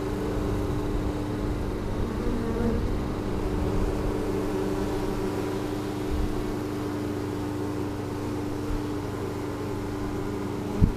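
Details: Honey bees in spring 2013 after overwintering, their hive just cleaned and moved, recorded on a GoPro Hero3: a dense, steady low droning hum with a constant tonal band and a few faint knocks.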